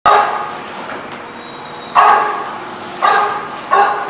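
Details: Dog barking at a dog facility, four sharp barks spaced about a second apart with some echo in the room.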